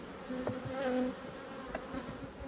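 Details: Agitated honey bees at an opened hive while frames are checked, March 2022: a loud close buzz with a few brief tonal whines as single bees pass near, plus soft knocks from handling the frames.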